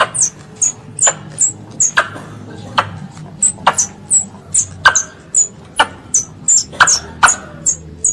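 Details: A squirrel calling for its mother gives short, piercing high squeaks with a snapping onset, roughly two or three each second and somewhat irregular, with a quiet low rumble underneath.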